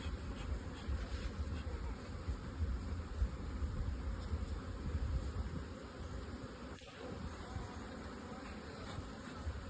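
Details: Honey bees from modern two-storey hive boxes on a honey farm produce a continuous deep hum, swelling and easing slightly, with no other clear sounds.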